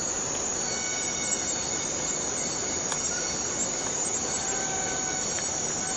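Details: A forest cicada chorus makes a continuous, shrill, hissing drone with no pauses. A few faint steady whistles sit lower down, and there is one soft tick near the middle.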